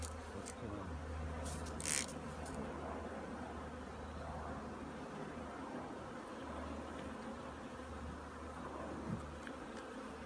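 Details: Honey bees preparing to overwinter at their apiary make a thick, continuous droning buzz, with a low humming tone beneath and a short rustling burst near the start.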